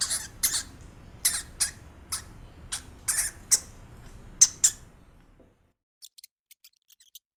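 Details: Real pet hamster squeaking: about ten short, sharp, high-pitched squeaks spaced irregularly over five seconds above a faint low hum, then silence with a few soft ticks.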